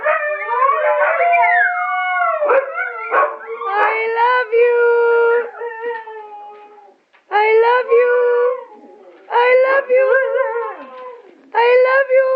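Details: Several Siberian Huskies, with a Chihuahua also present among five dogs, produce long, wavering howls and yodeling whines that slide up and down in pitch.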